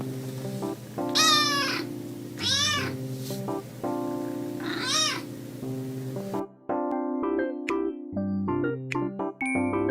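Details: Kittens uttering three strained, wavering meows during the first six seconds, accompanied by music that continues alone with piano-like notes afterwards.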